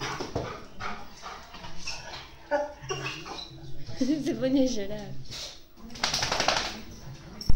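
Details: A Weimaraner whines in high, wavering cries, saying hi to someone who has arrived, while a person asks in Spanish who it is.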